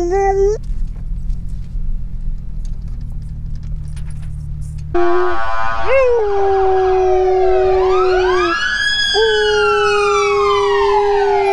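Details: A Siberian husky riding in a car howls and whines at standstill in traffic, in drawn-out, wavering wails that rise and dip, over the low rumble of a loud exhaust.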